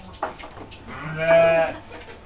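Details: Goat being hand-fed: a single short, nasal bleat in the second half over quiet background voices and a sharp click near the start.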